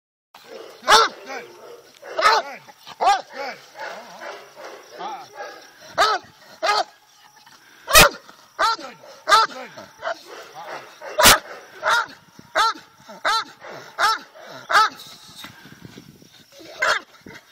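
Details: A 108 lb Bandog Mastiff, eager to go in bite training, barks in loud, sharp, irregular bursts about once every one to two seconds, with human voices mixed in.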